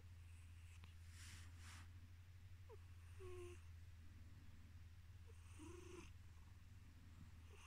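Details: Male pet cat falling asleep while purring: continuous deep, even rumble, rhythmic airy breaths, and several short squeaky, whistling noises from his nose.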